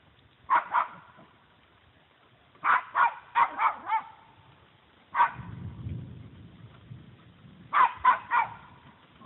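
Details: Female Puggle barking at a deer that stands its ground instead of running; sharp barks in clusters of two or three, separated by pauses, with a low rumbling noise between bursts.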